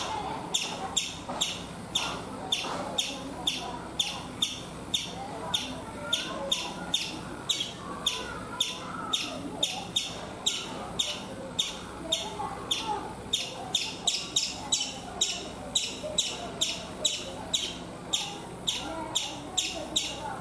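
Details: Chipmunk on a coconut tree in India making loud, piercing chip notes in a continuous rhythmic series that quickens toward the end, with softer bird calls behind.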